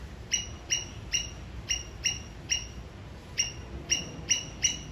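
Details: Alarm signal from a Sri Lankan squirrel aimed at an enemy: crisp, metallic chip notes in a steady series, about two per second, with one longer gap midway, over low background noise.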